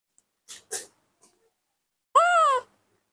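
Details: Baby monkey Nomi, raised by hand, throwing a morning tantrum while wanting milk: a few short breathy huffs, then one drawn-out, wavering, harmonic cry lasting about half a second, indoors with no other sounds.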